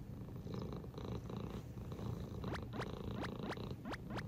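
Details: Indoor male British Shorthair Sobbang, recorded June 2022, purring in a dense low continuous rumble; in the second half a run of about six quick, high, falling chirp-like sweeps sounds over the purr.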